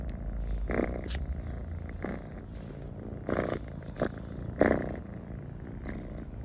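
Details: Domestic cat purring while comfortable near people: a low, continuous rumbling purr that swells in soft pulses about once a second with each breath, in a quiet indoor setting.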